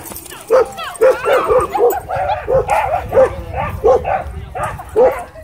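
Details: Dog barking at a dog park during a Doberman versus Belgian Malinois dogfight with e-collar correction: a steady run of sharp, clipped barks, roughly two each second for over five seconds, above a low murmur of voices.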